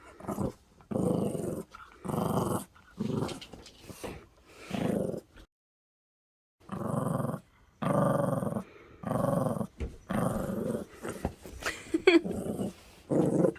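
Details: Pet Maltese puppy growling in a string of low, rough rumbling bursts, each roughly a second long and separated by short pauses, with one longer silent gap midway through; no other sounds stand out.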